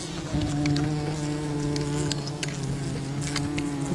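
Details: Wild bee colony disturbed by honey hunting: a strong, steady low buzz with clear stacked overtones holds through the whole stretch, with scattered crackles and rustling noises behind it.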